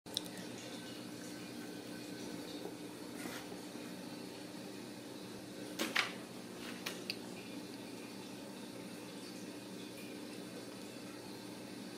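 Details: Quiet indoor room tone with a faint hum, a few soft clicks and a brief watery splash near the middle, and no animal voice.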